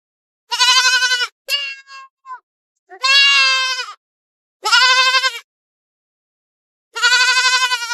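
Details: Goats out grazing in forest and field: four loud, wavering bleats spaced about two seconds apart, with a few shorter, broken notes after the first call. The background is otherwise quiet.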